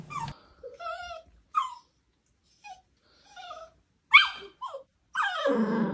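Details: Pet dog reacting to its owner dressed up as a dog; high, wavering whines and whimpers come in short separate bursts, some sliding downward, ending in a longer, rougher whine.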